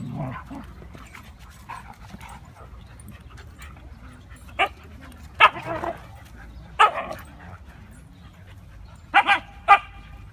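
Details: During husky play among Mia, Nola, Bender, Fry and Max, short sharp barks ring out singly and in a fast double, spaced irregularly a second or more apart, with faint voices and shuffling underneath.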